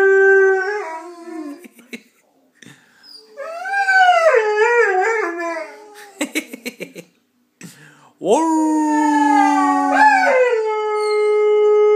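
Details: A pet Saluki dog 'singing', belting out a tune: several wavering, harmonic howls that rise and dip in pitch, separated by short pauses, with a burst of sharp clicking sounds midway before a final long, steady howl.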